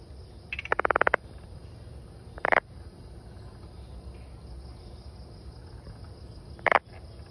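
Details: Brown frog giving a fast rattling train of about eight clicking pulses, followed by two shorter, harsh croaks a few seconds apart, against a low steady background hum.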